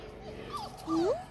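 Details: Five-week-old Labrador Retriever puppies exploring a garden; a brief whimper with a falling then rising whine and a louder upward-sweeping squeal at the end.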